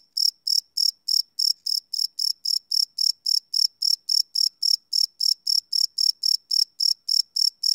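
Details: Crickets calling at night, field-recorded without loops on a Sony PCM D100; sharp high trilled pulses ticking along at a fast, steady pace, about three and a half per second, over a silent background.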